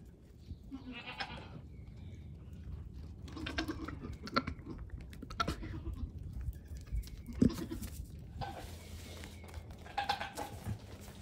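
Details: Goat kids aged one day to a week, playful and friendly on a farm, walking up close while hopping and climbing; several bright, harmonic bleats repeat every few seconds through the stretch, with rustling and low background rumble between calls.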